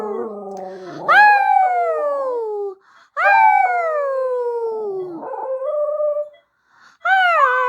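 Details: Mexican Xoloitzcuintle dog howling indoors: a low whimpering start, then drawn-out, drooping wails that begin high and sag steadily down, repeated about every two seconds with brief pauses.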